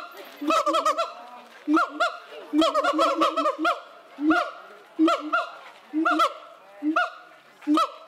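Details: Captive siamang gibbons at a wildlife park yelling at a watching crowd: loud honking, barking hoots in rapid bursts of two to four notes, repeated about every second in a rhythmic series.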